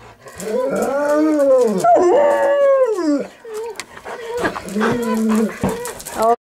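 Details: Three golden retrievers aged 11 to 13 howling and braying excitedly before dinner: several overlapping arched howls rising and falling for about three seconds, then choppier yelping notes, with a woman calling about dinner.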